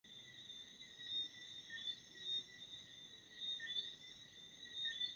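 Crickets chirp steadily at night, a high, continuous ringing trill with stacked bright tones.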